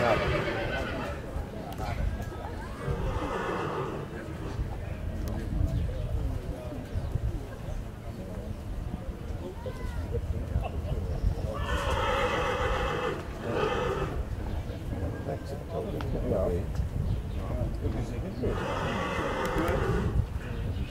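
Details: Colt foal at a foal presentation, pedigree Dinken, Cormint and Casall: loud, harmonic whinnies around the twelfth and nineteenth seconds over constant low rumble, with people talking in German and hoof clatter.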